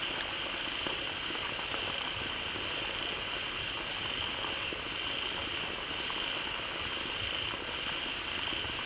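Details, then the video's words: A big group of frogs calls out together in a pond just refilled by a waterfall; a thick, constant chorus of overlapping croaks forms a steady high hum, with sharp clicks and a rushing, rain-like wash beneath. "เสียงฝูงกบร้องดีใจได้น้ำ Relaxing Sounds of Frogs"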